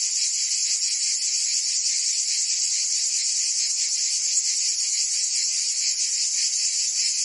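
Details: In a French Provence summer, cicadas keep up a steady, piercing electric-like buzz with irregular quick pulses, level and unbroken across the whole stretch.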